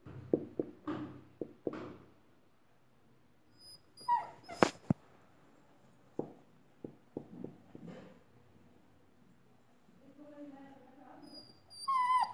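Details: Labrador puppy in a new dress makes scattered short yips and soft whimpers, then drawn-out, high, wavering whining toward the end.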